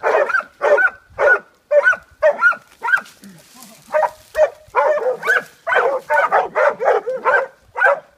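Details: Catahoula Leopard Dogs hold a boar at bay in a washout. Sharp, tonal barks repeat roughly twice a second, with a brief lull and some breathy noise midway, then a dense run of overlapping bays.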